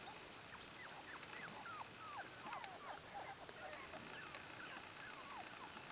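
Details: A litter of Miniature Australian Shepherd puppies, many overlapping short squeaky whimpers and chirps, falling and rising, forming a continuous busy chorus over a steady background hiss.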